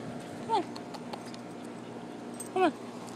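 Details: Dogs, a poodle and a shepherd, playing outdoors out back: two brief high whining yelps, each sliding downward, about two seconds apart, over a steady low background hum.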